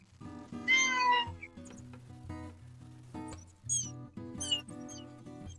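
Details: A domestic cat in a house yard, one of several yard cats, gives one clear, drawn-out meow, followed by a few shorter, higher mews, over steady background music.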